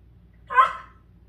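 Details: Dachshund barking at a puppy caught next to an air conditioner, a single short, sharp bark in a quiet indoor space with faint low hum.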